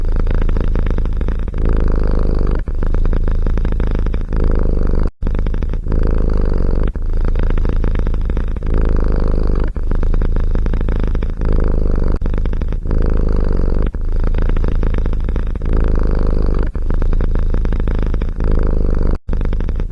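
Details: Continuous domestic cat purr, heard close up as a low, buzzing, pulsed drone that breaks briefly every two to three seconds at each breath, then resumes at the same steady level. No other sounds.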